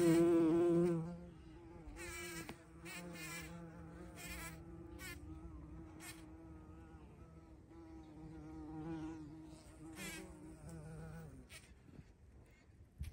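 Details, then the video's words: Buzzing of a bumblebee at a feeding place on 14 June 2023: a loud low drone opens the recording, then fades to a softer, continuous hum that carries on for most of the thirteen seconds among light rustling. "Полёт шмеля или Шмелиная столовая"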